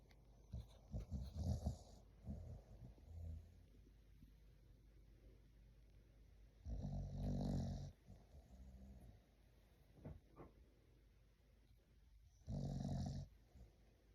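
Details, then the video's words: English Bulldog puppy asleep, snoring in low rumbling bursts: a cluster of snorts in the first two seconds, then long rasping snores near seven and thirteen seconds with quieter breaths between. "Rate my snoring."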